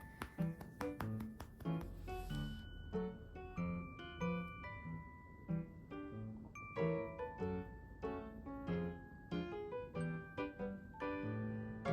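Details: Solo piano music playing a bright melody with chords throughout, nothing else heard.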